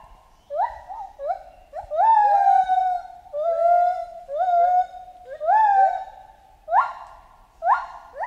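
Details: Chimpanzee calling in a jungle setting: a run of loud, harmonic hoots that rise and break into rough, screamy peaks, about eight bursts in quick succession, with short pauses between them.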